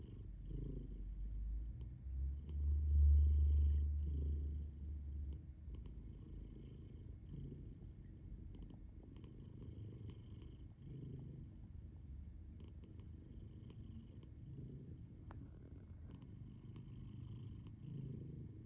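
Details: Female pet cat snoring while sleeping with her eyes open indoors: a soft, low rumbling drone with gentle breathy swells every couple of seconds, steady and quiet throughout.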